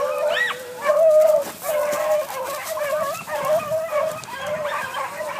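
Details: A young hunting dog on the trail of a cottontail rabbit bays almost without pause, drawn-out howling yelps that waver and overlap, with one higher rising yip near the start.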